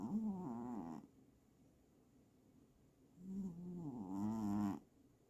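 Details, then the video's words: Domestic cat snoring: two drawn-out voiced snores about a second each, low and buzzy with wavering pitch, separated by a quiet pause in an indoor setting. "The Tragic Life of Petra the Snoring Cat"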